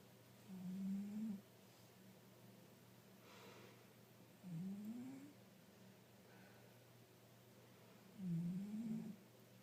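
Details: Pet tabby cat, aged five, snoring loud in its sleep: three low, slightly rising rasping breaths spaced roughly every four seconds over a faint indoor hum.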